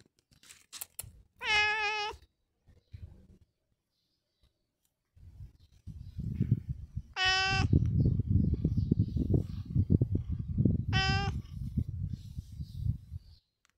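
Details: Long John Whiskers, a pet cat, gives three clear harmonic meows about four seconds apart, each level and drawn out, with steady low rumbling and rustling filling the gaps between them.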